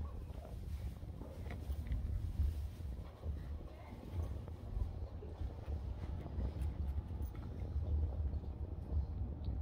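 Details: French Bulldog puppy Maria Flor, weighing 2 kilos, in her first training lesson (sit, lie down, stand), growling: a low, rumbling, continuous growl with pulsing swells over about ten seconds, with faint human voices nearby.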